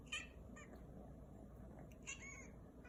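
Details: Kitten giving a cry that hardly sounds like a meow: two short, thin, squeaky calls, one at the start and another about two seconds later, heard over a steady low indoor hum.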